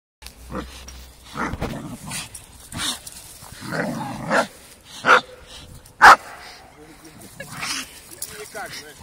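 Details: Four-year-old Staffordshire Bull Terrier playing with a five-month-old American Staffordshire Terrier: low rumbling play growls in bursts, then two sharp, loud barks near the end, with human voices talking over the romp.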